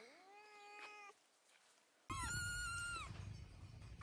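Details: Pet cat giving two meows: a softer rising-then-level mew, a short pause, then a brighter, louder drawn-out meow over a low background hum.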